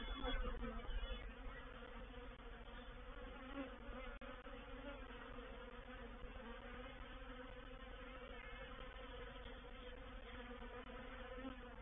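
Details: Honey bee reproductive swarm moving into a bait hive at Painted Peacock Manor on 04/07/21, scouts active; dense continuous buzzing hum with steady bands around the low-mid range, a brief click near four seconds.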